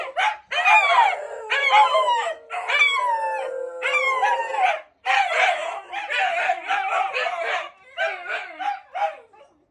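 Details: Several Shiba Inu howling together in response to a broadcast: long quavering howls that slide up and down, overlapping and layered, later turning into choppier yelping howls that fade out.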